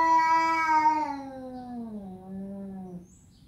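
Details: Domestic cat giving one long, loud meow that starts high and slowly slides downward, fading out near the end.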